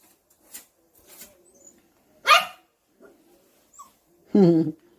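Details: Pet dog giving a short sharp bark, then a longer whiny harmonic yelp, between a woman's soft coaxing speech in Korean.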